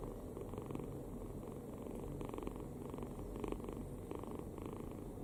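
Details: Kitten sleeping soundly with its mouth open, snoring: soft raspy breaths in short rhythmic bursts roughly every half second to second, a low steady hum underneath, quiet indoor setting.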